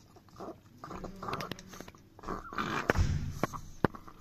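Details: A chihuahua called Dio working at a frying pan with its tongue: quick wet laps building to louder, thumping smacks and knocks as the pan moves, indoors.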